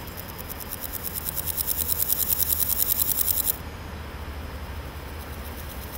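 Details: Male naki-inago grasshopper singing in a grassy patch, rubbing hind legs against its wings, likely courting; a rapid, dry, pulsed rasp that swells in loudness for about three and a half seconds, then stops abruptly, leaving a low background hum.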